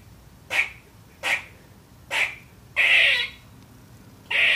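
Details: A young female squirrel gives short, harsh, raspy barks at uneven intervals, each a noisy burst; she sometimes barks at nothing.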